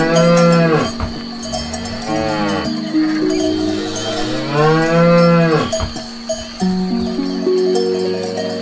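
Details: Cows eating grass; several low, drawn-out moos overlap with rising-then-falling pitch, some long and bending, over a steady ring of cowbells throughout.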